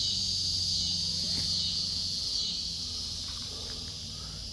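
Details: Backyard cicadas sing near kittens and a Siamese mother cat; a continuous shrill, hissing buzz holds steady, strongest in the first half and slowly fading, with faint low background rumble.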